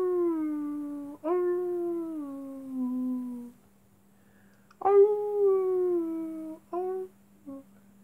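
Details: Wolves at night: two long, smooth howls that slide slowly downward over two to three seconds each, separated by short sharp yelps and whimpers, with a faint steady electrical hum underneath.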